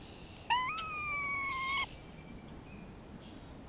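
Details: Springtime grey squirrel vocalizing while a hawk is nearby: one rising-then-level tonal moan of about 1.3 seconds, followed by quiet with faint high chirps.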